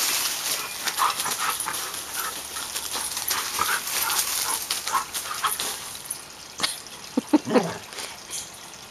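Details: Samoyed named Suka, a pet dog, playing with the family's boys; brief high whimpering yips and whines near the end, over constant hissing, rustling play noise and occasional voices.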